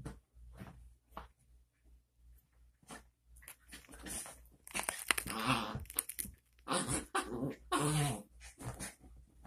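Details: Male Chihuahua, a newly rescued dog indoors at home, gives harmonic growling and whining bursts midway and again near the end, separated by quiet gaps with scuffling and crunching chew sounds.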